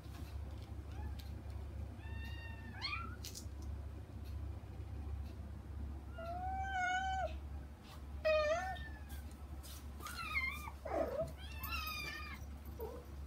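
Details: Kittens Saba and her younger sister Kagishippo, kept out of the front room, meow to reach their mother Hana behind frosted glass indoors; several high, harmonic meows, some rising and some bending down, scattered through the clip with light thumps and room hum.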